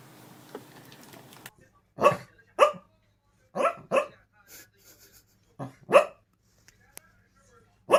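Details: A pup asleep, giving short muffled woofs and yips in scattered pairs, about eight soft bursts over several seconds, with a quiet room and faint background noise.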